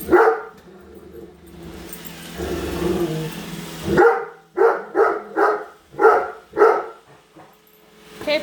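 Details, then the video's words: .Great Dane Padme barks at a Roomba she dislikes as it is sent back to its charger; a woman talks over low mechanical humming at first, then six strong barks come in quick succession. "Great Dane vs Roomba part 2!"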